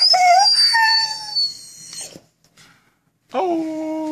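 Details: A male Vizsla, told to "speak", gives a long, wavering, high-pitched whine, then a short yodel-like moan after a pause, a frequent "sad story" the owner says is about missing his fish chew toy.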